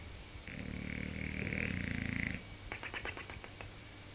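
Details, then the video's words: Bulldog snoring, likened to a 750cc motorbike on a track: one long rumbling snore of about two seconds with a thin whistling tone on top, followed by a run of short fluttering snorts. "Bulldog roncando"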